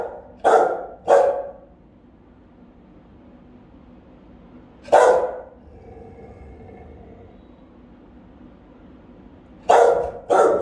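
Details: Rottweilers guarding the house, caught on a home camera: deep, powerful barks, a quick pair at the start, a lone bark mid-clip and another pair at the end, with quiet gaps and a faint hum between them.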